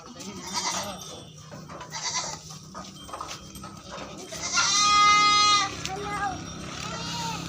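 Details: Barbari goat on a farm in Etawah, Uttar Pradesh: people talk for several seconds, then one loud, nasal, harmonic bleat lasts about a second before the talking resumes.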